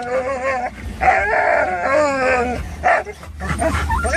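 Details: Excited Norwegian Elkhound mix with a Labrador mix and Rat Terrier riding in a car cargo pen toward a pet store; long wavering tonal howl-whines in drawn-out bursts, short barks between, low engine hum throughout.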